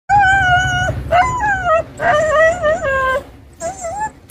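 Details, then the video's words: Stray black dog crying, with a second stray jumping up on a person nearby: loud, drawn-out tonal whines that waver and dip, about four cries in a row separated by short gaps. "black dog crying"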